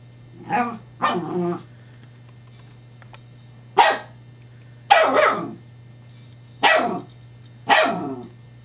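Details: Scottish Terrier female yapping at a rolling teething pacifier toy, dated 7-12-11; six loud, harsh barks, the first two close together, then single barks roughly every second, each with a short rough tail, over a quiet hum.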